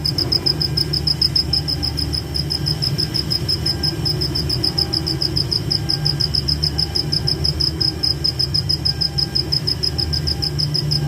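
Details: Nighttime forest cricket keeps up a long, even series of short high chirps, about five per second, with a steady low rumbling backdrop throughout.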